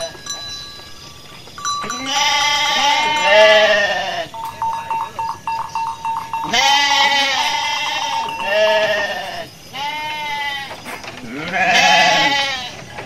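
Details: Bleating Garut sheep as a ewe gives birth while foraging: clusters of loud, trembling, harmonic bleats, overlapping as from more than one animal, returning every few seconds with a thin steady tone between.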